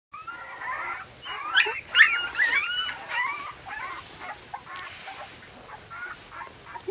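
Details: A female corgi puppy about three weeks old gives a run of high, squeaky whimpers and whines that fade toward the end.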